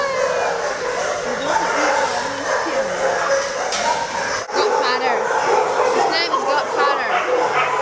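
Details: Many dogs at an animal shelter, noisy chorus of overlapping barks, yips and whimpers, some high rising yelps, with people talking over them.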